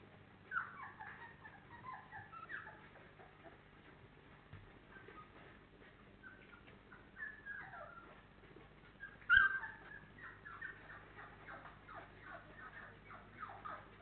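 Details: Four-week-old FCI Labrador Retriever puppies, 28 days old, a litter from Honey and Hany, whimpering and squealing in thin high whines across the recording, with one louder sharp yelp near the middle.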